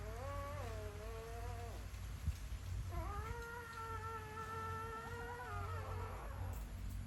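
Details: Puppies crying: two drawn-out, tonal whimpers, the first nearly two seconds long and dropping at its end, the second a steadier three-second wail that wavers before fading, over a constant low rumbling background.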